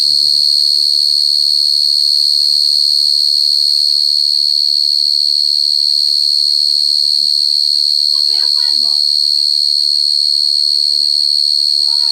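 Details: A cricket's shrill, unbroken trill dominates, high-pitched and finely pulsed at an even rate, with soft, scattered lower voices and chirps in the background, louder near the end.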